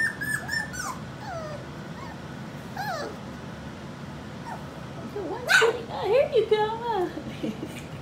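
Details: Skittles' four-week-old pups whimper in thin, wavering whines that slide down in pitch, several in a row with pauses, while a woman talks softly to them nearby.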